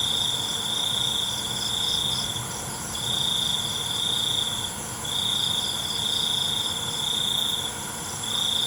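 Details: Crickets at night, a steady high ringing trill in pulsed bursts of about one to two seconds with short gaps, layered over a dense shimmering insect chorus, with a faint low rumble beneath.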